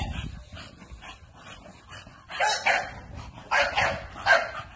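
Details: An American Bully dog lets out soft low rumbles, then louder raspy barks that come in pairs and grow stronger toward the end.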